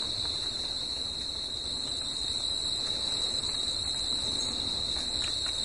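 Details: Crickets at night singing together: a constant piercing high buzz that never pauses, a second faint high tone above it, and light low-frequency background noise.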